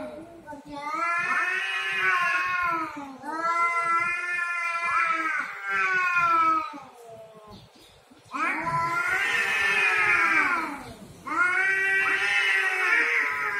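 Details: Domestic cats fighting over territory: long, wavering yowls rising and falling in pitch, four drawn-out howls of two to three seconds each separated by brief quieter gaps.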